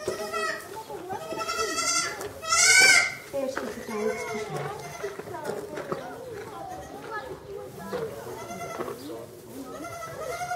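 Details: Newborn black goat kid, a few hours old, drinks milk while its mother eats the placenta, a brown kid born earlier nearby, Zoo Zürich, Switzerland, 30 March 2012; one loud harsh bleat near the middle amid constant human chatter.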